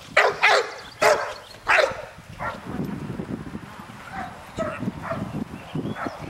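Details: Nine-month-old American Bulldog named Trip barking during a training session on June 24, 2007, at ICSC: four loud, sharp barks in the first two seconds, then softer scattered sounds and background noise.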